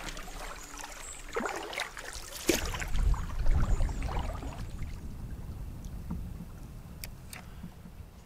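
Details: Paddle strokes and water splashing against a canoe, with low wind rumble and a brief murmur of voices; no animal calls.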